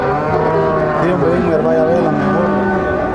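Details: Cattle at the Tiangue livestock market in Nueva Guadalupe, El Salvador, lowing amid a dense din of overlapping moos and market bustle, steady harmonic calls layered through the whole stretch.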